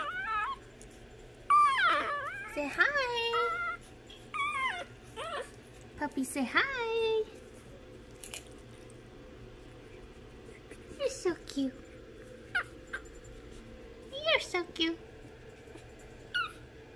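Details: Penned Imperial Shih Tzu puppies whine in bursts of thin, quavering yelps that rise and fall, clustered early then scattered later, mixed with a person's cooing voice indoors.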